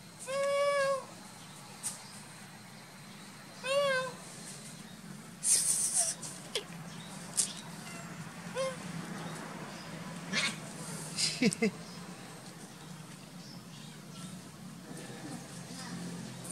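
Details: Orange cat meowing on first meeting a stranger: two loud, drawn-out, harmonic meows near the start, then fainter short calls, clicks and handling noises over a low background hum.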